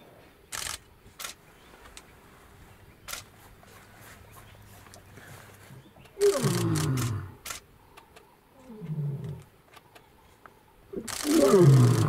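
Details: Lion filmed at Olare Motorogi Conservancy, Masai Mara, Kenya, in February 2019: after quiet background with clicks, two deep moaning roars slide downward, then a louder roar begins at the end; faint camera handling noise.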